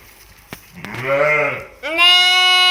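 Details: Young twin ewe lambs on an Ishikari farm in Hokkaido, Japan: a softer, lower bleat followed by a loud, steady, high-pitched bleat held for nearly a second.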